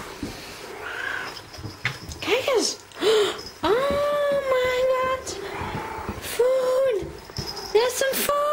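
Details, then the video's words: Hungry indoor female cat asking for her food: a run of about five meows, the longest drawn out and level, the others short and bent, mixed with a person talking and household clatter. "My cat is hungry, she wants her food"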